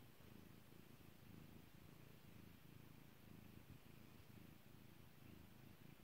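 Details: Pet cat Kairi purring under a stroking hand: a deep, even rumble with rapid rhythmic pulses that holds unbroken from start to finish, with no other sounds.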